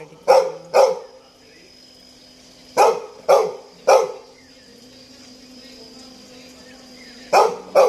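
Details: Toby, a pet Labrador Retriever, barks in quick pairs: two sharp barks near the start, a cluster of three around three seconds, then another pair at the end, with a steady faint hum between bursts.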